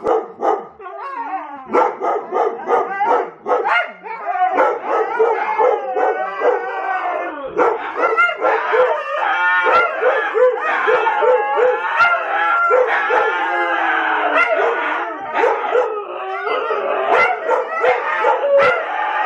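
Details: Huskies howling together, a session started by Domi's growl and barks: many overlapping wavering howls mixed with sharp barks and yips, dense and continuous, several dogs calling at once.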